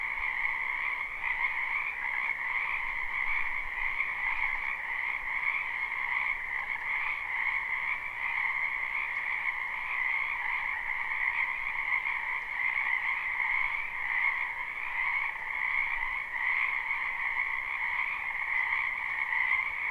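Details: Dense chorus of frogs from a wetland in spring, captured live without looping: steady, overlapping trilled croaks in two pitch bands, constant for twenty seconds with no other clear sounds.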